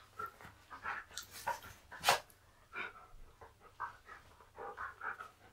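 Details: Husky named Key performing tricks learned for photo posing, such as touch, chin and hold; quick rhythmic panting breaths in short bursts roughly every half second, with a few louder huffs, indoors with little other noise.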